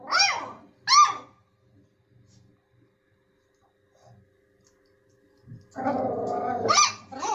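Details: Dog giving two sharp high barks in quick succession, then a long quiet gap with faint rustling, followed by a noisy rough vocal sound and another bark at the end.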